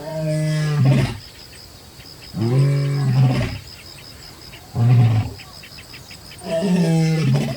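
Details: A distant lion roars at nightfall on the Akagera savannah, Rwanda, in deep, moaning bursts, each about a second long, repeated several times.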